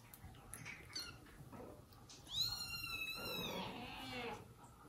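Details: Indoor cat family of mother cat Jaco, her kittens, foster kittens and the dad cat who punished her for leaving them; one long, loud, drawn-out meow with a rising then falling pitch, after soft scuffling.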